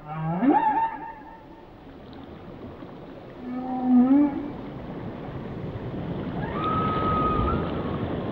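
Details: Song of a whale: a low moan jumping into a tonal whoop, a bright rising call midway, then a long steady high whistle, all over a hissing underwater backdrop.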